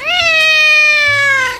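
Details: A domestic cat gives one long, loud, clear meow, rising briefly at the start, then held steady and sliding slowly downward for about a second and a half.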